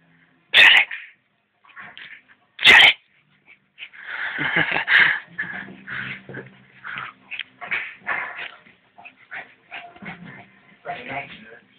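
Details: A hyper Lhasa Apso gives two sharp, high barks, followed by excited yips mixed with a person talking.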